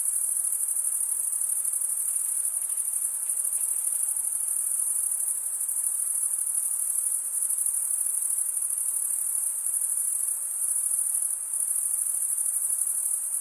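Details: Steady cricket chorus of stridulating males, wings rubbed together to chirp; an unbroken, very high, ringing trill holds level throughout, with slight pulsing texture and a soft background hiss.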